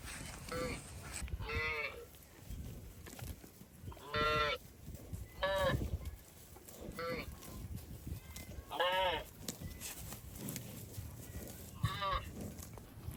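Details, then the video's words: Cows crossing water in rice fields give a series of loud, rich moos, some short and some drawn out, about seven in thirteen seconds, with splashing between calls. "Funny Cow Sounds Passing Water in Rice Fields"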